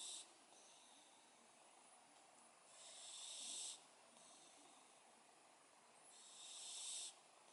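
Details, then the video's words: Domestic cat snoring while asleep: two breathy, hissing inhalations, each about a second long with a faint whistling tone, spaced roughly three seconds apart over a quiet room background. "Кошка храпит!"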